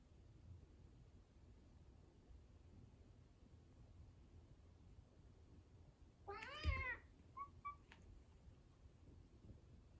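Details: Domestic cat, one of two rescued cats (an orange tabby eager to lick and gently nibble a tortoiseshell), gives a single loud, wavering meow lasting under a second, then a brief soft chirp, against quiet background hum.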